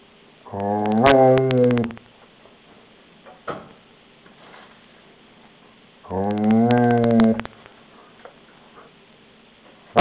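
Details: Growling German Shepherd Shelby defends her toy with two long, rising-then-falling moaning growls, each over a second long and about five seconds apart, with a faint tap between them and a click at the end.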